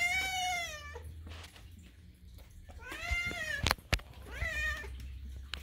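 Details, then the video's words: Hungry kitten at food time, one of two adopted sister cats, Daisy and Moo, screaming indoors; three drawn-out wavering meows with rich harmonics, separated by quieter gaps, a few clattering knocks and low room hum. "kitten rudely screams, but sister is politely quiet (food time with Daisy and Moo)"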